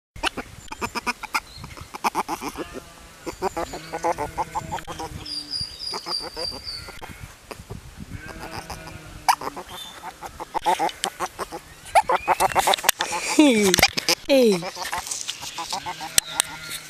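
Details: Baby river otter making happy noises: a busy string of high squeaky chirps, short rising whistles and buzzy harmonic squeals, with clicks and scuffling sounds and a person's voice at times in the background.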